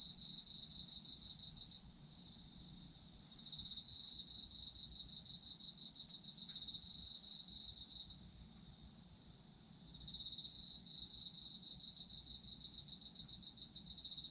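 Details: Autumn insect song: a high continuous trill overlaid by rapid pulsed chirping that drops out briefly twice, then resumes strongly, giving long waves of shrill sound over soft background noise.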